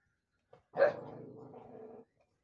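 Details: One XL American Bully puppy indoors guarding a bone: a single sharp bark that runs straight into a sustained, rough, low growl lasting over a second, then silence.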